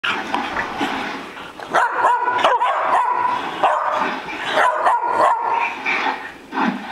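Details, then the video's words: Three pet dogs playing and acting wild indoors; irregular bursts of barks and yips overlap with short whining tones, loud and busy throughout with brief pauses between flurries. "Dogs Playing"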